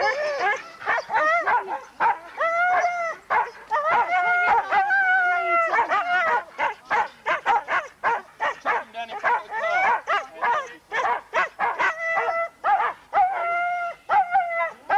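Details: Huskies at a sled dog race weekend in the Forest of Dean, November 2001, recorded on VHS tape: a noisy chorus of excited, harmonic yelps and howls, rising and falling, packed tightly with short gaps between bursts.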